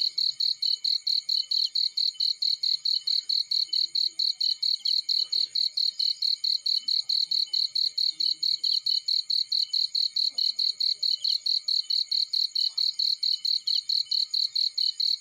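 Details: Cricket singing in a field near a burning fireplace, a long unbroken train of shrill, high chirps at a brisk, very even pace, about four to five per second, with faint soft crackles underneath.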